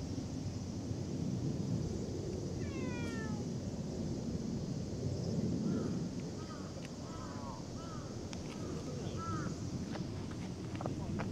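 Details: Cat, recorded in August 2024, lets out a brief descending meow near three seconds amid heavy low background noise, followed by small, soft chirping calls.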